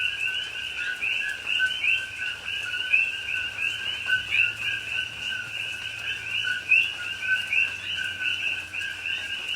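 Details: Night chorus of coqui frogs in rain in a Hawaii rainforest, Pahoa, October 2021; many frogs give overlapping paired whistles, short lower tone followed by an upswept higher note, continuous and dense, with faint rain patter beneath.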